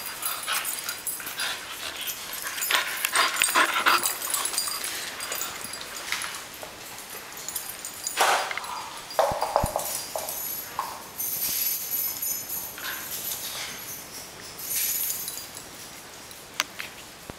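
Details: A female Bull Terrier whimpers and yips excitedly in irregular bursts, greeting her owner on arriving home and bringing a toy, as she usually does.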